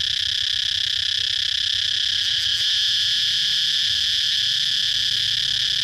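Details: Cicada chirping in a steady, loud, unbroken high buzz with a bright whining tone, holding constant volume throughout without pause; no other clear sounds.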